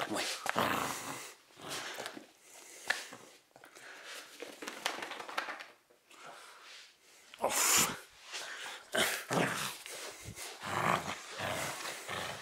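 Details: Cavalier King Charles Spaniel tugging and fighting over its favourite teddy bear indoors: near-continuous noisy growling and snarling with huffing breaths, rising into louder rough bursts in the second half.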